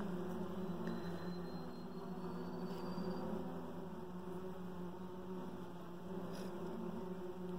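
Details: Inside a beehive holding a very dark queen reared last year, the colony gathered around her gives a continuous low droning hum, steady tones layered over a dense rumble throughout.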